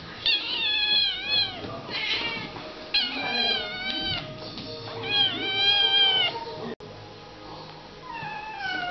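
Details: Kitten named Tiger, one of several kittens, meowing while playing angry: loud, drawn-out harmonic meows that rise then fall, about four calls in nine seconds, with faint music in the background.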